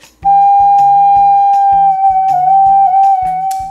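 A steady, flute-like held note plays over rhythmic plucked guitar chords, with no animal voice.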